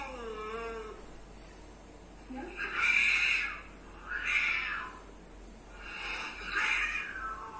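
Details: Domestic cat reacting to other cats' sounds, with a sweeping meow then three broad, noisy wailing bursts about a second and a half apart, at an indoor spot.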